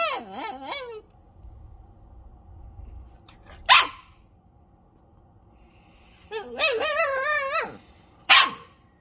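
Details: Dog screaming at a cat: a wobbling, whining cry, then isolated sharp yelps and a drawn-out warbling scream, separated by stretches of quiet low rumble.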